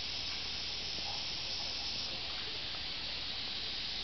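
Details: On 31 July 2007 at Maruyama Inari shrine, Tsurugaoka Hachiman Shrine, Kamakura, Japan, a steady, shrill hiss of cicadas fills the air without a break, like a high electric drone.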